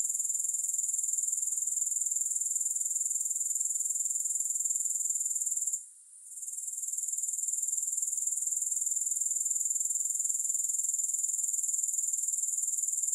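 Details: Shrill, evenly pulsed grasshopper sound, about four pulses a second, holding constant except for one brief dip in volume midway; nothing else audible and no music.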